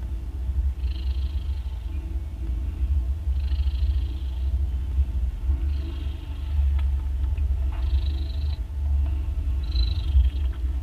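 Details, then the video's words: Mother cat snoring loudly while nursing three newborn kittens, two orange and one grey, born the day before; a deep continuous low rumble with a soft breathy hiss repeating about every two to three seconds. "Cats Snoring loud While Nursing"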